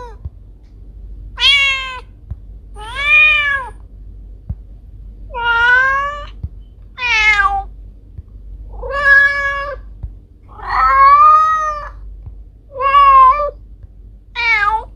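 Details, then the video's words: Pet domestic cats Kiko and Koko meowing in a steady series: eight distinct meows, each arched and harmonically rich, repeating roughly every one and a half to two seconds with brief silences between. "Cat sounds to scare mice away"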